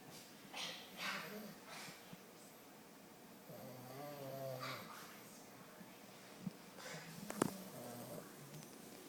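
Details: English Bulldog puppy snoring while asleep indoors, lying in an awkward position; soft rough snores with a low droning tone, a few quiet clicks and faint rustling in a small room.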